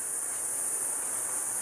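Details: An intense evening cicada chorus in a parking lot in Palm Springs during a 45–50 °C heat wave: a steady, high, hissing drone that never lets up.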